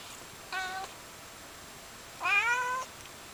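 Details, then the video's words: A female Siamese cat, sleeping on a heater, gives two loud harmonic meows, a brief one followed by a longer, louder one; the owner thinks she was tired. "Scarlett My Cute Siamese Cat Meows :)"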